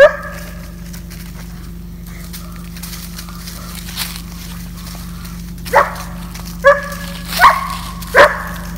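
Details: Seven-month-old German Shepherd Georgia, a female dog in off-leash obedience training in Georgia's Atlanta area, gives one bark, then quiet with faint background sounds, then four strong, tonal barks roughly a second apart.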